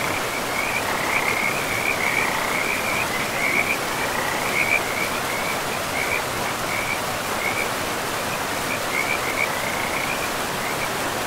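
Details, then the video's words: Frogs in a pristine forest beside a river among moss-covered land, calling in a steady run of high, pulsed trills at one pitch, laid over the constant rushing hiss of flowing water. "River and Frogs sleep sounds"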